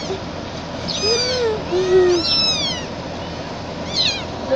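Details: Mixed-breed gray kitten meowing loudly while picked up and carried: high, arched, harmonic mews in quick succession, with a couple of lower voice-like tones in between.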